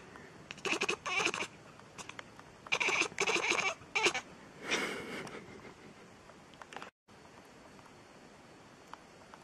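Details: Cat giving a run of loud, strained, high meows in quick succession over the first five seconds, ending in a lower, longer wail, then near silence with faint ticks.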